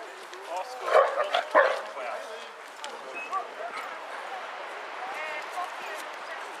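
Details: Basset Hounds, one of 22 on a group walk round Hazlehead Park, Aberdeen, Scotland, on 2 February 2014: a short cluster of three or four loud harmonic barks in the first two seconds, then people chatting in the background.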